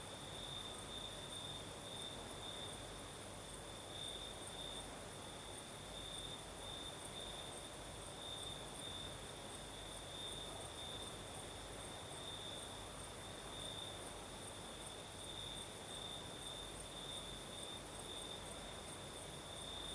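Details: Steady nocturnal cricket song from the Crimean south: one sustained high trill with rhythmic pulsing intensity across twenty seconds, set against the constant low whoosh of a night breeze.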